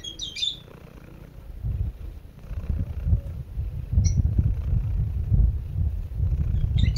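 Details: A domestic cat (Felis catus) purrs softly with a low, steady rumble as it falls asleep, with a few bird chirps in the background.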